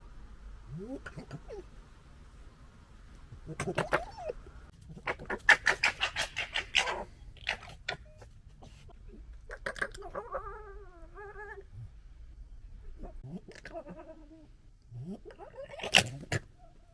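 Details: Local fox family recorded during arguing and general drama: harsh stuttering gekkering bursts around five to seven seconds, with rising wavering squeals and whining cries scattered between quieter gaps, ending in a loud screech.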